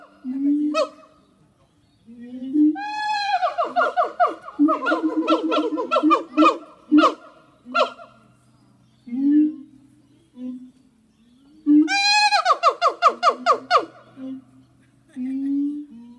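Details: Two siamang gibbons in Zoo de La Fleche sing on a hot summer morning, 6 August 2018: low booms, then a long dense bout of loud ringing barks, more booms, and a second burst of rising, shrieking barks.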